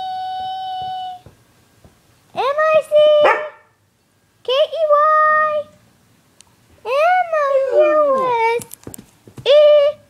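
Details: Pet dog howling while its owner sings the Mickey Mouse song; several drawn-out, wavering howls with sliding, falling pitch, in bursts of one to two seconds, mixed with the owner's sung tones indoors.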